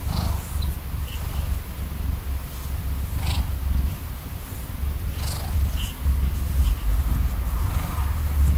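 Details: A sleepy pet cat purrs loudly at night under the covers beside its owner before falling asleep. The deep, steady rumble pulses without a break and shows he is happy and content.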